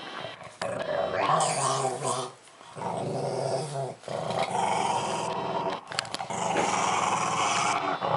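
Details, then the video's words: Growling from Milo the pug while he eats a pumpkin at Halloween; rumbling growls throughout with a few short gaps and faint human voices laughing in the room. "Milo Eating Squash Growling"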